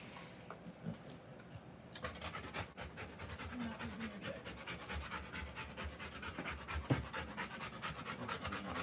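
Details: A Rottweiler in labour, delivering puppies, pants fast and hard, a quick regular huffing of a little over two breaths per second that starts after a quiet opening and runs to the end.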